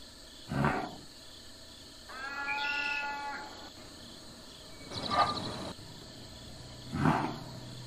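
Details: Farm cattle make short, breathy snorting bursts. A drawn-out harmonic moo lasting about a second and a half sits between the snorts, and two more loud snorts come near the end.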